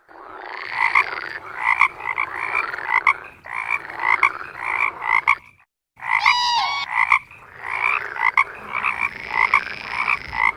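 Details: Toads croaking, the call of males in the breeding season: bursts of harsh, rattling croaks repeated roughly every second, from several overlapping callers. A brief silence near the middle, then a higher, buzzy trill before the chorus resumes.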